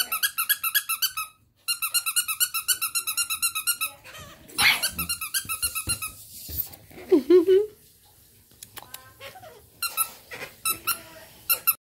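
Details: Bulldog puppies giving rapid series of high, squeaky whimpers in two long bursts, each note bright and repeated about every quarter second, followed by scattered shorter squeals and a brief human voice in between, indoors.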